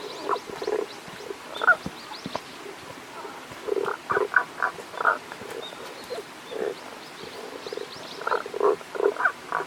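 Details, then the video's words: Tago's brown frog, unseen, calling at a stream in Japan's Kanto region on 1 April 2021: groups of low, rough, pulsed croaks coming in bursts roughly every second or two, with faint high chirps above. "タゴガエルの鳴き声（関東地方 '21.4.1.）Cries of Tago's brown frog"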